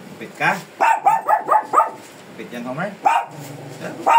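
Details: ['A Shih Tzu being groomed, called fierce, gives a quick series of high, snappy barks, then a short pause before a few more yelps, with human speech mixed in.']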